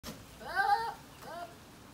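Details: Male goats calling indoors: one short wavering bleat rising then falling over about half a second, followed by a fainter, shorter second bleat, with quiet room noise in between.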